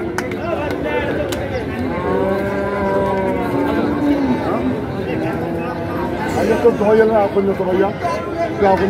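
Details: Cattle at a Bangladeshi livestock market where bulls are bought and sold: several long, harmonic, wavering moos overlap one another, with people chattering and market noise all around.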